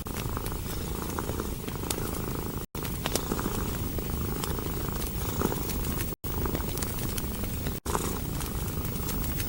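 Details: Domestic cat curled up beside a fireplace in a cozy winter hut, purring contentedly: a steady low rumbling purr runs throughout, overlaid by sharp crackles and pops from burning logs, with three brief dropouts to silence.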